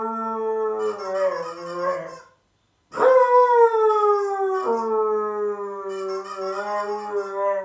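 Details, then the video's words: Siberian Husky howling at an annoying sound, drawn-out tonal howls with a brief silent break, then a loud howl that starts high and slides downward before holding steady for several seconds. "the Husky howling to annoying sound"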